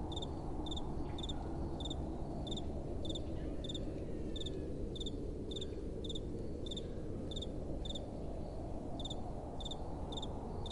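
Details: Night-time crickets chirping against gentle wind, brief high-pitched pulses spaced about half a second apart, evenly repeated throughout, with a constant low windy rumble underneath.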